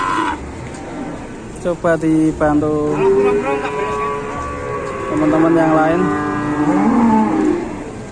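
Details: Big cow lying helpless on the ground, alarming its owner, lets out a series of short moos that run into a long, wavering, lowing call; a low murmur of people in the background.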